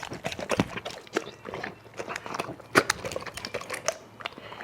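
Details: Eating dog chewing and biting in a small room: sharp crunching snaps and wet smacks in uneven bursts, with a louder crunch near the middle and quieter pauses between.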